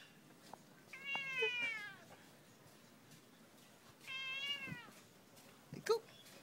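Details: Domestic cat, described as annoyed, being teased on an afternoon: two drawn-out harmonic meows that rise then fall, about three seconds apart, followed by a short chirp, in a quiet room.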